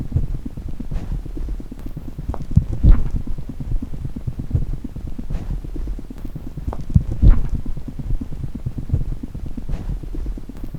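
A chipmunk's heartbeat, a fast, soft, muffled thumping pulse deep in the low register.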